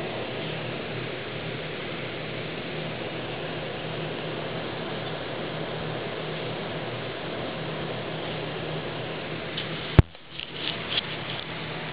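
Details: Steady broadband hiss like rain or a fan runs throughout, broken by one sharp click near the ten-second mark.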